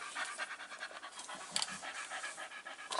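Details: Tired Staffordshire Bull Terrier Stella pants fast and evenly, a run of short breathy huffs with a faint click midway; her five-week-old puppies are present, 27 September 2020.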